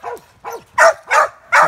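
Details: Young cur pup barking at a caged squirrel during squirrel training, five short sharp barks, the first two higher and whinier, the last three louder and harsher, spaced roughly every third of a second.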